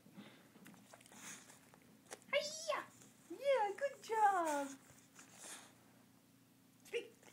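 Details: Oscar, a bulldog at home doing karate, answers with a few wavering, moaning talk-like calls that bend up and down in pitch over about two seconds, then goes quiet, with faint room noise.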